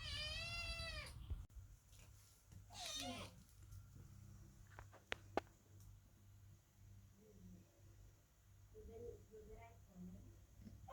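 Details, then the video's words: Worried kittens sit beneath the door calling while Chloe the cat gives birth inside; one sharp meow opens, a second rough one comes near three seconds, then only quiet indoor background. "Котята громко мяукают под дверью, когда кошка Хлоя рожает"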